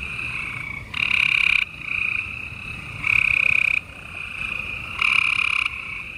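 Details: Gray treefrogs trilling at night in spring in Houston, Texas, on 28 April 2020: three loud, buzzy trills of under a second each, about two seconds apart, rising out of a continuous fainter chorus.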